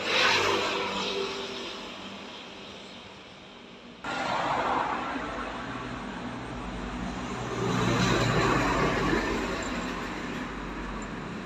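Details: Steady road-traffic rumble that drops and then surges back with a sudden jump, like passing vehicles outdoors at night, with no animal calls heard.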